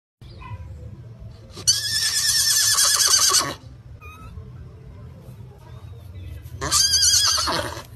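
A horse gives two loud, quavering whinnies, each breaking into rapid harmonic-rich pulses.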